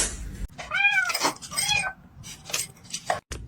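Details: Domestic cat indoors giving two brief arched meows, each rising and dropping, amid clattering and scraping noises in a small room.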